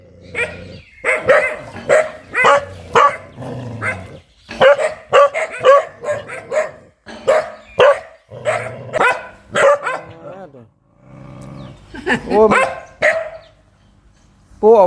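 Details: Very fierce dog barking in fast clusters with brief gaps, mixed with low rumbling stretches and a rising, whine-like bark near the end.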